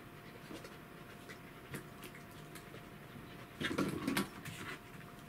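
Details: Welsh Corgi Roku, shown alongside the cat Kuro, gives soft irregular panting breaths and a louder rustling burst partway through, against a constant low electrical hum indoors.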